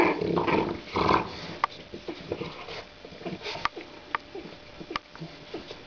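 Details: Two 27-day-old female French Bulldog puppies, born 23 December 2011, starting to play indoors; a burst of low, rough growling in the first second and a half, then scattered clicks, scuffles and small squeaks.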